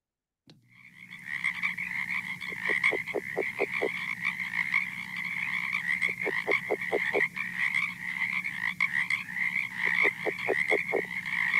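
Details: California red-legged frog, a very quiet species hard to hear even 50 feet away, giving a recorded call. Low pulsed series of about six to eight quick grunting notes recur three times, over a steady high-pitched background drone.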